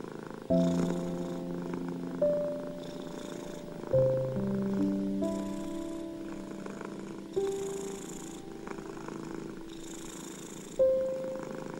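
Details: Domestic cat purring steadily, inhale and exhale pulses recurring about every one to two seconds, beneath a slow piano melody of held notes meant to soothe anxious, ill and stressed cats.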